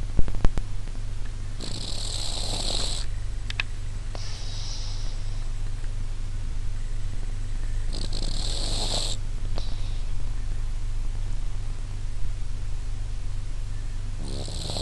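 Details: Domestic cat snoring while asleep with its eyes open; a steady low rumbling drone throughout, with bursts of hiss-like breath noise around two and eight seconds.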